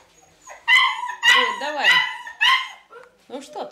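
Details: Four loud, high yelps from a dog, each sliding downward. They come roughly every half second. People talk quietly between and after the calls.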